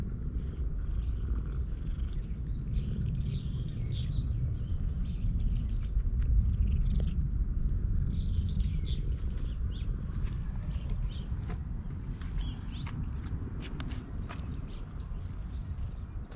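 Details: Stray cat that was sleeping on a park walking course, purring while being petted: a steady low rumbling purr throughout, with scattered high bird chirps in the background.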